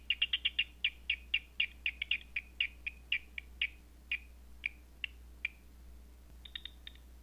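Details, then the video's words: Night bat calls through a Batseeker 4 detector: a quick run of crisp clicks that gradually slows, the gaps widening to nearly a second before a short closing burst of pops. "Batseeker 4 picking up Night Bat Sounds"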